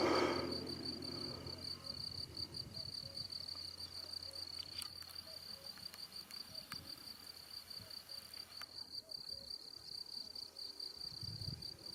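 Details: ['Crickets calling in the Austrian countryside near Salzburg in late April 2018, on a cycling trip. An unbroken shrill, high trill runs throughout, with a faint upper overtone and a brief louder rustle at the start.']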